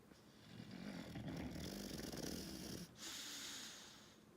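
A sleeping English Bulldog snores loudly, each breath a low, rattling rumble with a wheezy, snorting edge. A steady hiss of background noise sits behind the breathing.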